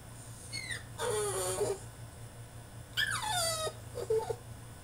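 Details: French Bulldog in his cage throwing a tantrum: high whines that slide downward, two long drawn-out cries with a short squeak after, over a steady low hum.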